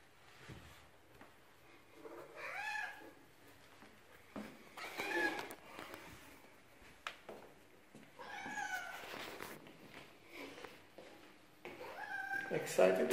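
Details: Tulip, a male cat, greets his returning human after three days apart, indoors; several short arched meows rise and fall amid a man's voice calling his name.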